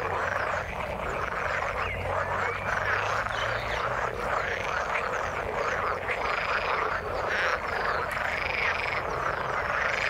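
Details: Frogs in the water form a thick, continuous chorus of croaking trills, layered and overlapping with no pauses, plus a faint low hum underneath.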